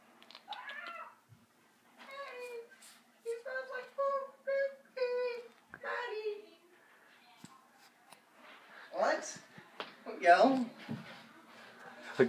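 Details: A pet cat talking indoors: a run of short harmonic meows, several in quick succession between two and six seconds, followed by longer wavering mews and a human voice near the end.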